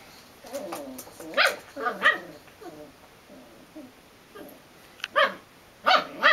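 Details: Belgian Malinois puppy giving short, sharp barks in scattered bursts, some doubled, with quiet gaps between them.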